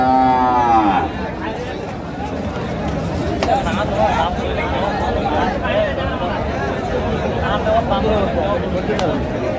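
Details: Cow mooing at a cattle market in Madaripur, Bangladesh, where a farmer buys cows ahead of Qurbani; one harmonic-rich, loud moo in the first second, then steady crowd chatter and bargaining voices fill the rest.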